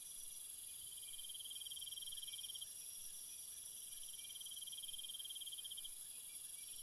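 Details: Crickets calling at night: dense high-pitched pulsing trills in two long bursts separated by a brief gap, over a constant shrill insect hiss layered above, no other sounds.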